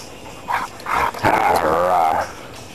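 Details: An old rescued male Husky, about ten years old, giving a drawn-out wavering howl-like vocal with short yips before it, lasting about two seconds, in a quiet setting.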